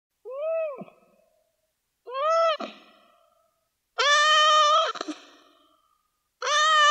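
A stressed cat gives loud, drawn-out meows, each rising then falling, repeated about every two seconds.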